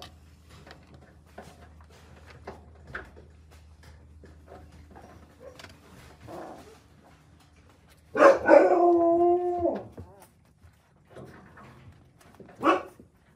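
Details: Akita puppies, born in November at the Noshiro Kojuso kennel, nursing side by side after their mother returns from a walk; one long wavering, harmonic whine rises and holds for about two seconds, followed by a short sharp yelp, amid faint rustling.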